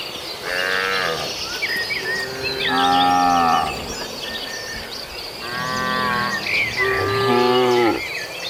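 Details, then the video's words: Tame cattle wandering a field toward their barn, grazing: four drawn-out, droning moos about one to two seconds long with rich harmonics, separated by pauses, over faint chirping birds. "Kawanan Sapi Lucu Yang Jinak Berkeliaran Di Ladang Sedang Menuju Kandang l Suara Sapi Makan Rumput"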